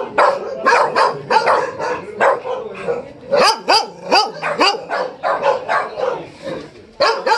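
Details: Tibetan Mastiff dog giving a run of short, sharp barks and yips, several with rising-then-falling arched tones, in quick bursts of about two or three per second, with brief pauses between runs.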